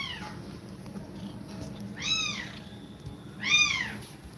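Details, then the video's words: Domestic cat mother breathing fast while feeding milk to her kittens indoors; three short, high, arched mews, at the start, near two seconds and near three and a half seconds, over a low steady hum. "Cat Breathing Fast While Feeding Milk To Kittens"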